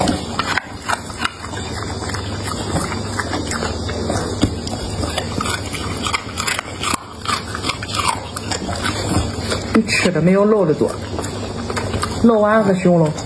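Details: Close-up ASMR recording of a pet dog eating a meal of carrot, potatoes, meat, eggs and tomatoes: rapid, uneven chewing and biting clicks, then toward the end a few short, wavering, whine-like tonal sounds amid the crunching.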